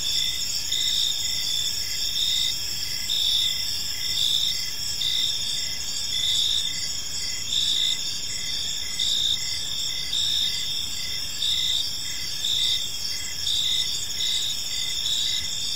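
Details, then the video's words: Crickets chirping in a park on an evening: a steady high-pitched ringing trill with a fainter lower tone, pulsing in short beats that swell and fade every second or so, with a soft background hiss and no other clear sounds. "Cricket Sounds in a Peaceful Park"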